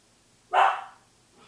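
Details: Samoyed barking at six in the morning, a single loud, full bark that swells quickly and fades over half a second, rich mid-range tone, otherwise a quiet indoor room.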